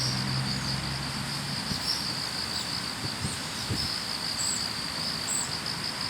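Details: Grass insects chorusing on an autumn morning commute, a steady high shrill trill holding one pitch throughout, with low rumbling background noise and faint thumps.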